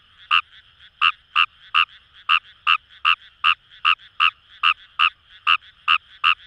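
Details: Fejervarya kawamurai calling from paddy fields of the Kamo River area, Itoshima, Fukuoka, Japan; a brisk series of about sixteen clipped, raspy croaks at a fairly even pace, with a continuous background chorus of other frogs.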